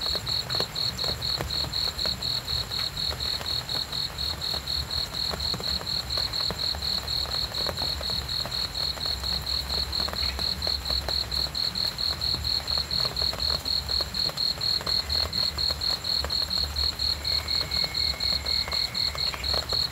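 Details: Cricket chirping steadily for sleep and relaxation, high pulsed notes repeating about four times per second in an even rhythm, with faint brief tonal sounds near the end over a low background rumble.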